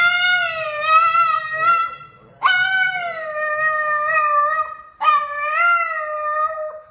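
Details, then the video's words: Singing Boston terrier, an exceptionally vocal dog, gives three sustained tonal howls, each starting abruptly and holding a fairly even pitch with slight wavers, separated by brief breaths. "Singing Boston Terrier"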